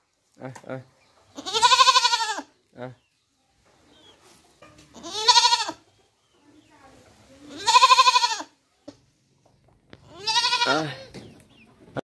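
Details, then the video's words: Baby goat bleating four times with long, shaky, nasal baa calls, each about a second long and separated by roughly three seconds of near silence, with faint clicks between calls. "Goat baby sound 2022 | Best goat sound baa baa sounds"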